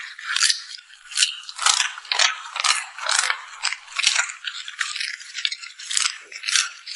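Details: Puppy at mealtime, eating and smacking its lips: about fourteen sharp, crackly, wet smacks in seven seconds, each a short bright burst, closely miked in a quiet room.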